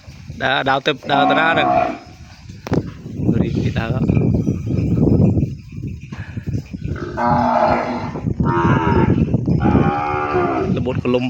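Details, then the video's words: Calf kept apart from its mother and crying in the pen. Harsh bawling moos come in separate bursts over loud low rumbling and shuffling noise, with a brief human voice. "កូនគោយំស្រែករកម៉ែ បំបែកលែងអោយនៅក្បែរ យំស្រែកពេញក្រោល"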